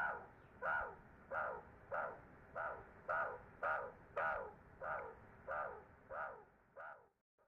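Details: Young meerkats on their first trip outside the burrow give loud, raspy nasal calls, about a dozen evenly spaced squawks, each falling slightly at the end and fading toward the close.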